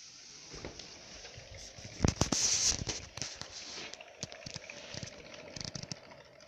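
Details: A pet hamster runs in a near-silent ball-bearing wooden wheel with a cork surface (28 cm); the only sound is quick, uneven tapping of its paws on the cork.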